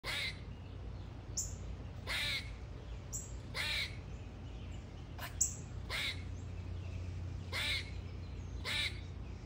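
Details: Squirrel calling with short, sharp, raspy chirps repeated roughly every one to one and a half seconds, each a brief broadband burst, over a steady low hum.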